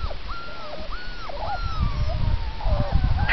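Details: A group of 4-week-old Labrador Retriever puppies whimpering: several high, thin whines that arch up and fall, crowding one after another over about three seconds, above a low rumbling background.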